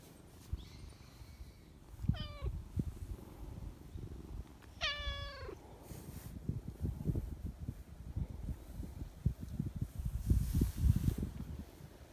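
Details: Friendly, talkative silver tabby community cat speaking up to someone crouched behind a bench; two loud meows, each starting high and sliding downward, the second longer, then rustling, shuffling and handling noises close by.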